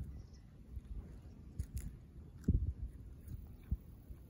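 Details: Shikoku dog named Ran eating, filmed 6 July 2022; soft, low munching thumps with a few sharp clicks of chewing scattered through a quiet background.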